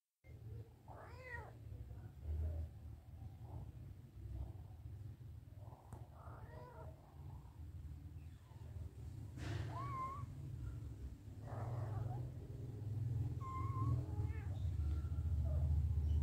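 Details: Mother cat licking and caring for her kittens indoors; thin, high kitten mews rise and fall in short arcs every few seconds over a steady low rumble and soft rustling, growing louder toward the end.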